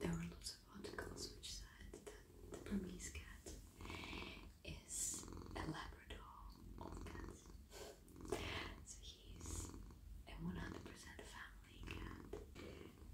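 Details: Male domestic cat lying in a lap at night while his head, neck and body are stroked; a steady, low, rumbling purr runs throughout beneath soft whispering and gentle rustling of hands on fur.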